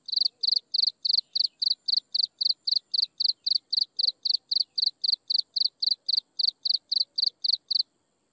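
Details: At sunset an insect chirps in a fast regular train of sharp high pulses, roughly four each second, stopping near the end, over a quiet low background.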